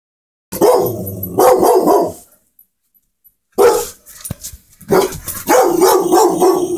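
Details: Pit Bull barking at something; loud, harsh, rough barks, a pair at first, then after a silent gap a longer run of rapid, hoarse barks.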